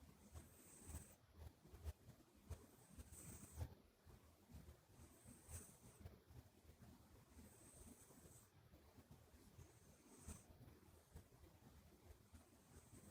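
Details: Asleep indoors, the Minuet kitten Buri snores softly, its flat nose sounding a high airy whistle on each breath, repeating steadily about every two and a half seconds against a hushed room.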